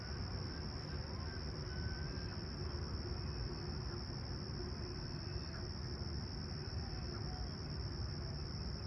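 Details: A calm July sunrise at Toronto's Humber Bay Shores, July 28, 2020, with chirping crickets: a high, even, unbroken trill held throughout, backed by a deep rumbling hum and a few faint, distant bird notes.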